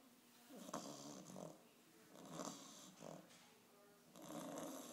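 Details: An 8.5-week-old English bulldog puppy snores during its first vet visit, in rough, rasping bursts with each breath a broad noisy rattle.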